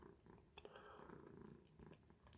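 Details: Pet cat purring at its window lookout spot, a quiet continuous low throbbing purr broken by a few brief soft knocks and rustles.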